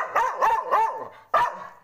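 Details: A Bhotia dog (also tagged gaddi dog or Tibetan mastiff) gives a quick run of deep, rough barks, then one more after a short pause, apparently wanting to be untied while its owner says he can't free it.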